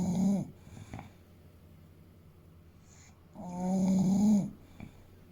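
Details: An eight-year-old male English Bulldog named Fuku snores in his sleep, a short rasp at the start, then a long rattling buzzy snore after a quiet stretch of soft breathing.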